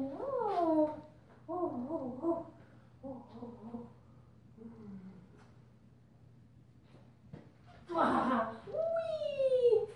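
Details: Whimpering from a purple-collared female German Shepherd puppy aged 5 weeks, sired by Ibon Jipo-Me out of Witch von Wendelin: short wavering cries, a quiet pause, then a rising, sliding whine.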